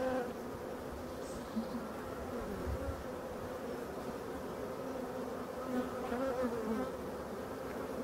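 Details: Colony of European dark bees in a Voirnot hive readied for winter, forest setting, 30 October 2021; soft continuous humming drone of many bees throughout, fairly quiet and even.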